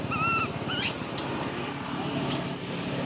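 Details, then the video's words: Baby monkey screaming in piercing, very high squeals, three long arching shrieks after a shorter, lower wavering cry, over a steady low hum. "Why is this cute baby monkey screaming"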